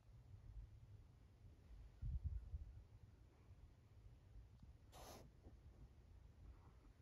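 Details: Smoky, a female neonate kitten in rescue foster care receiving medication and tube feeding, purring: a soft, steady low rumble that swells briefly around two seconds, with a short rustling noise near five seconds.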